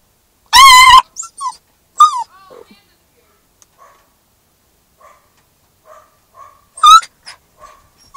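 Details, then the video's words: Max, a Newfoundland and Labrador mix puppy in his first week home, howls in a car because he dislikes being separated from his humans: loud wavering yowls with soft whimpers and short cries between. "Newfoundland Lab Puppy Howling in Car"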